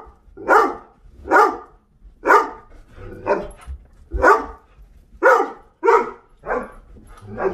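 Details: Bossy Doberman barking to demand going out, coming in, food or water; a continuous series of nine loud, sharp barks roughly once a second, with a few softer ones near the end.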